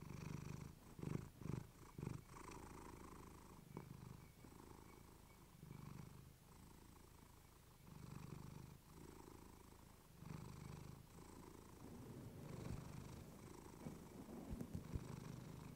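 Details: Clementine, a domestic cat, purring against a fluffy microphone: low rumbling purr in swelling phrases with short gaps between breaths, plus a few soft clicks and rustles.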